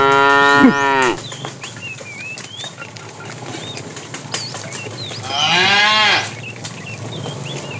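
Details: Fat tame cow calling the female while the herd is driven in the afternoon: two harmonic moos several seconds apart, the second rising and swelling, with bird chirps scattered between.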